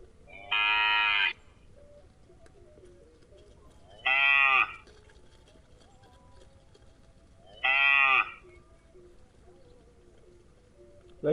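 A cow gives three loud, drawn-out moos, evenly spaced about three and a half seconds apart.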